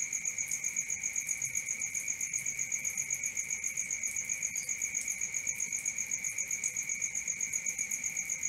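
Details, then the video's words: Night crickets keep up a shrill, continuous trill pulsing quickly and evenly, roughly four beats each second, with a second steady ringing tone beneath; the background is otherwise quiet. "Cricket 1 hour for Sleeping & Relaxation, Black Screen, ASMR, Dark Screen Nature Sounds"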